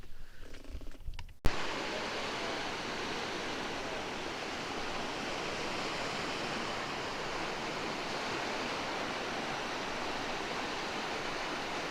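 A brief low rumble gives way to steady broadband hiss like rushing water or wind, with no animal voice present.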